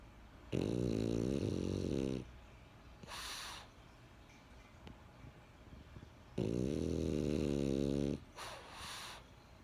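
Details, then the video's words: Sleeping French Bulldog Benjamin snores twice, each a throaty, buzzing rumble lasting over a second, trailed by a quick whooshing out-breath in a quiet room. "French Bulldog Snoring"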